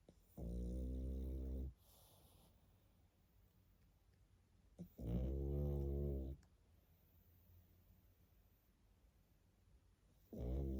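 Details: Sleeping pug puppy snoring indoors: long, low, rattling harmonic snores of about a second and a half, separated by quiet pauses of several seconds, with a soft inhaling sound between them.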